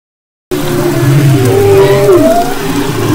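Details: Humpback whale song recorded off the west coast of Maui in February 2011: after a brief silence, gliding tonal moans and rising whistles layered over low rumbling hum and steady underwater hiss.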